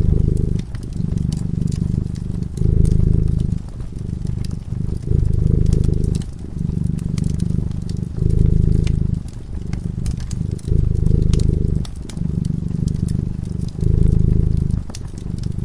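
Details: Cat sleeping peacefully in front of a crackling fireplace, purring in a deep, low rumble. The purr comes in long swells of one to two seconds with short breaks between breaths, and sharp fire crackles and pops run throughout.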